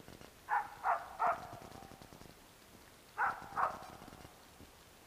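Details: Bek, a dog, barking at a squirrel among pine and birch trees: a quick run of three clear mid-pitched barks, a pause, then two more, with faint rustling in between.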